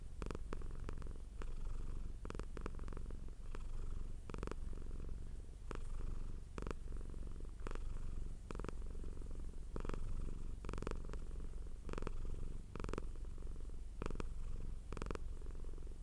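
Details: Domestic cat purring hard up close: a continuous low rumbling drone with steady pulsing, broken by brief clicking or rustling bursts every second or so.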